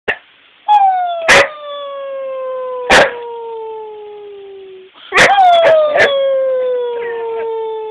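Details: Rottweiler howling together with its crying owner: two long, smoothly falling howls with rich harmonics, the second starting after a short gap, punctuated by sharp clicking or knocking sounds.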